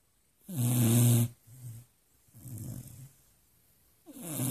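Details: Ginny, a Beagle, asleep and snoring: one loud, low, vibrating inhale, then a softer rumbling exhale, and another snore beginning at the end.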